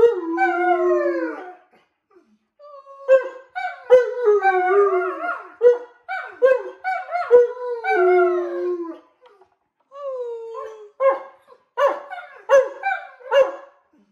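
Alaskan Malamutes howling in drawn-out, wavering tones that slide downward, with yodel-like breaks.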